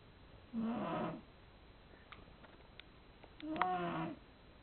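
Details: Sleeping domestic cat snoring indoors: two raspy, breathy snores about three seconds apart, each lasting around half a second with a low buzzy rattle, and faint soft clicks in the quiet gap between them.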